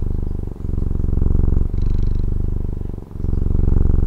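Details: Close-up purr of a domestic cat from Taiwan, a dense low pulsing rumble in three breath phases with two short dips between, faint breathy hiss in the middle; nothing else audible.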